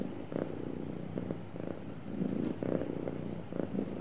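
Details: Happy pet cat purring, a soft low rumble in short breathing pulses, slightly quieter and throatier in the middle of the stretch.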